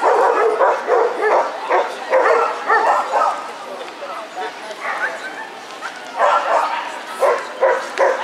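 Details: Siberian Huskies at the CAC-UA "Ltava-2016" dog show, being compared in the ring; a run of short, loud barks in uneven bursts, fading in the middle and returning toward the end, over human speech and crowd noise.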